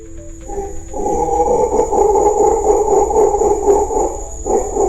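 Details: An approaching troop of red howler monkeys in Amazon rainforest joins in a powerful, deep, droning roar that swells and surges with little pause, audible up to five kilometres away; the chorus declares who owns the territory.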